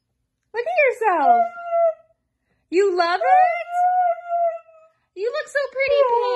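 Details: Hyperactive Siberian Husky indoors giving three drawn-out, howl-like vocal phrases, each sliding down in pitch then holding a steady tone, with pauses between, while a person nearby sings a children's tune.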